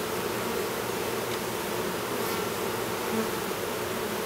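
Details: Inside a hive at a Duluth, Minnesota apiary, a newly developed drone honey bee works to emerge from his cell amid a constant, even buzzing drone of many bees, with a soft tick near the end.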